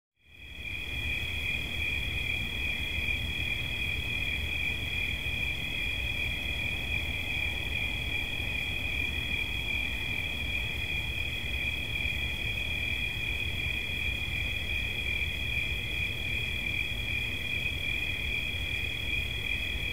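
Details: Cricket sound used as relaxation audio: a steady, high, unbroken trill with two close bright tones runs throughout after a brief silent start, over a soft low rumble.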